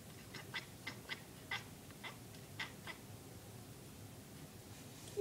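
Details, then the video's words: Domestic cat watching little birds through a window, making rapid squeaky chirps, around nine short high clicks in three seconds in an uneven stuttering run, then quiet room background. "My cat making squeaky noises"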